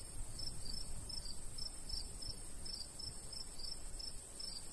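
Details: Summertime crickets beside a golden wheat field in the countryside; bright, high chirps pulse in quick, slightly uneven pairs above a constant shrill hiss, light breeze rumbling low.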